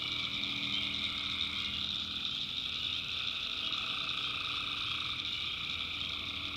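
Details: Tree frogs calling at night in the backwoods of North Carolina: a dense, steady high-pitched chorus, with lower trilled bands that fade in and out over a constant shrill drone.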